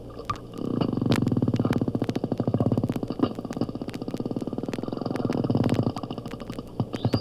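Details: Porpoise sound train recorded at an oceanographic institute and played back at half speed, lengthened and deepened: a long, rapid, buzzing series of pulses that swells, fades briefly, then swells again for about five seconds.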